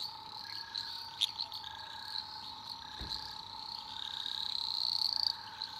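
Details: Night chorus of eastern dwarf green tree frogs in Australian rainforest, a dense high-pitched trilling wash with scattered short chirps and a thin rising buzz near the end, a soft thud in the middle and a repeated pulsing lower tone.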